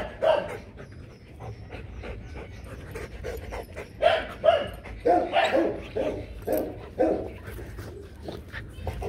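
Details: Two Rottweilers, Loki and Siro, mating: irregular panting breaths with scattered whimpering yelps, strongest in a run midway through, over a low background rumble.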